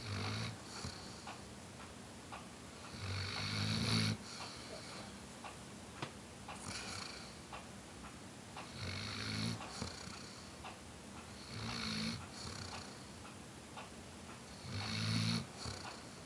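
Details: Weimaraner taking a Sunday nap snores in slow, rumbling bursts, each breath returning about every four seconds.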